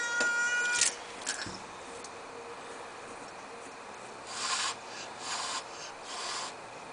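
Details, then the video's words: Domestic cat with asthma, angry and unwelcoming toward a newly arrived kitten, hissing indoors: a brief tonal cry at the start, then three breathy, rasping hiss bursts spaced about a second apart. "Honking, Hissing Cat"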